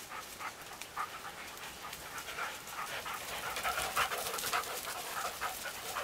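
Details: Dog out on training in Vestfjellet, a Norwegian mountain area, panting in quick, uneven breathy bursts about twice a second, the rough puffs growing louder toward the end; no other clear sounds.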